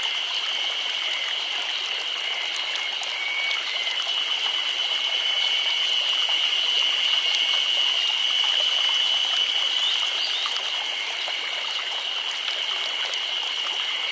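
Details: A chorus of cicadas in summer in Nagano Prefecture, Japan, makes a steady, high, shimmering drone that never pauses.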